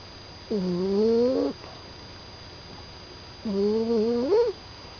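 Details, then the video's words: Poppy, a sleeping Staffordshire Bull Terrier puppy, snoring indoors: two drawn-out, whistly, humming snores, each about a second long with a slight upward bend at the end, three seconds apart over quiet room hiss. "Poppy the staff puppy snoring"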